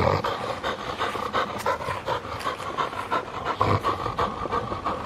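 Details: Field-type Labrador Retriever playing with a ball, breathing in quick rhythmic panting bursts about two to three per second, with soft scuffing and thumps from the play nearby.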